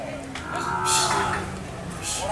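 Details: Cattle: a collapsed cow that refuses to stand is being helped up. One short tonal moo with layered harmonics rises and then fades. Faint hiss and background murmur are heard throughout.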